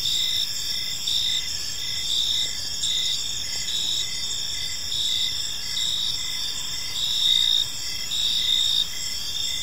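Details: Evening park chorus of crickets: dense, high-pitched continuous trilling layered with short pulsed chirps recurring about twice a second, steady throughout with low ambient rumble beneath.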